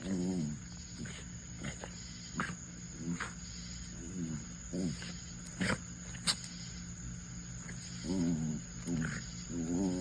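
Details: A pet dog vocalizing while scratching his back: repeated short, moaning groans with wavering, stacked tones, several bursts spread through the clip over a steady low indoor hum.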